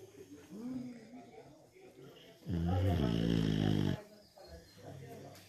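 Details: Sleeping dog snoring like a person: one loud, low, droning rasp with stacked buzzy tones lasting about a second and a half, with quiet human talk before and after it.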